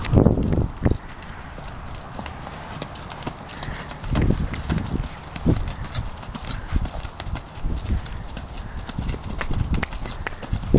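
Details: A mare trotting smoothly, noted as having good brakes and backing up well. Her hooves land as dull, low thumps spaced roughly a second or less apart and unevenly timed, over a steady outdoor hiss with little talking.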